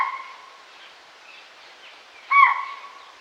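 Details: Spotted deer giving alarm calls in a forest: a short hooting call at the start, then a louder, sharp, tonal hoot about two seconds later, over a quiet, subtle forest background.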